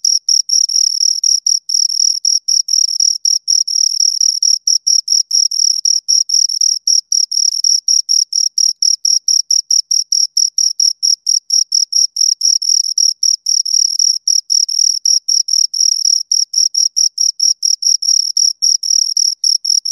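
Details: Continuous high-pitched chirping by two crickets, short scraping pulses repeated rapidly and steadily for the whole stretch, with a faint overtone and nothing else audible.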